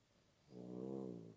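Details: Sleeping puppy snoring indoors: after a quiet start, a single drawn-out nasal, whiny snore with a humming, tonal quality lasts nearly a second, swelling slightly and then fading.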